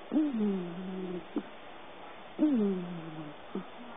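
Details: Pet cat Abbey snoring in slumber on a lap while dreaming: two clear whistly breaths that rise briefly then slide down and hold low, each ending in a brief snuffling tick, spaced roughly two seconds apart, room otherwise quiet.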